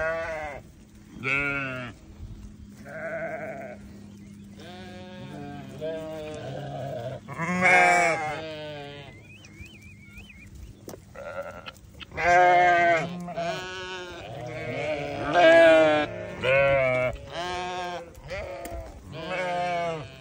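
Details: Repeated quavering bleats from newborn lambs, some short and some drawn out, coming in clustered bursts with brief gaps, over a faint constant low drone.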